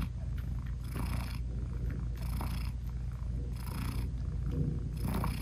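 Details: British Shorthair mother cat purring to her tiny newborn kittens, whose eyes are still closed, while nursing them indoors; a steady low rumble with a brighter breathy swell about every second and a half, no music.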